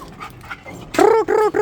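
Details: Female dog indoors, her owner asking what the fuss is: after quiet shuffling, three loud, tonal barks or yelps in quick succession, each sliding slightly downward, with a brief pause between them.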